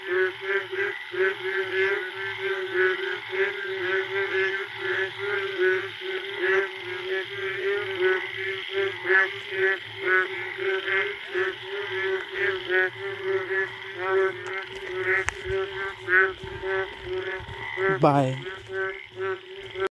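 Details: A dense chorus of Indian frogs calling together late at night in a forest after the first rain, with rapid overlapping croaks and trills, varied calls and an echo; mating calls.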